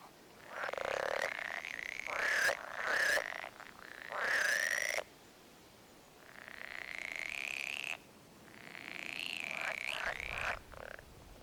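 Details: Rare pool frog of English ponds giving its mating call in a played-back recording: drawn-out, nasal croaking bursts lasting one to two seconds each, separated by brief pauses.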